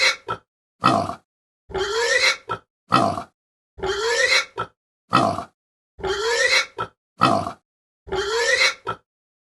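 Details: Pig uttering a string of harsh grunts, alternating short clipped bursts and longer rasping grunts that rise slightly in pitch, in a steady stop-start rhythm separated by clean silence.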